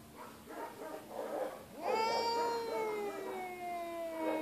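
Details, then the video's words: Injured feral female cat at an animal shelter. A rough, breathy hiss-like noise leads into one long, loud, slowly falling meow held for over two seconds. "The Incredible Meowing and Hissing Cat"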